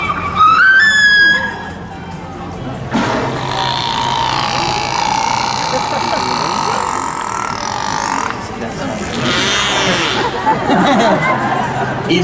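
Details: Killer whales at a SeaWorld San Diego show, vocalizing through their blowholes, give rising, harmonic squeals, then a long nasal, droning tone with a crowd murmuring behind.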